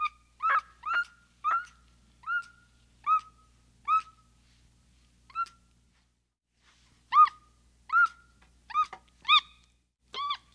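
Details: Capuchin calls as a string of brief, pure whistles with ringing overtones. About eight notes come at a steady pace, then a pause, then a faster burst of about seven louder notes, against near silence.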